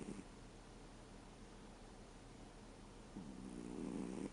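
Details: Snoring from Reo, a 13-year-old American Shorthair cat asleep: a short raspy breath cut off at the start, then a quiet gap and a longer, growing throaty snore lasting about a second, over soft room hiss.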